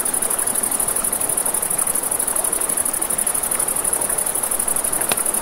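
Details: Crickets at night by a river, a steady high, thin shimmering trill running unbroken through the clip, over a broad rushing of river water, with a sharp crackle or snap of campfire near the end.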